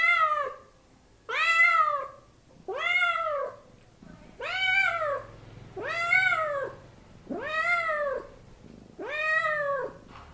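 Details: Kittens and cats meowing indoors: seven insistent, arching meows in close succession, roughly one every one and a half seconds, each swelling then dropping, with low background rumble between calls.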